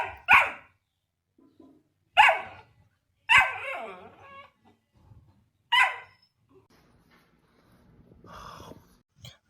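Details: Puppy barking, sharp single barks at irregular intervals of about one to two and a half seconds, four in all, with quiet gaps and faint low rumbling between them.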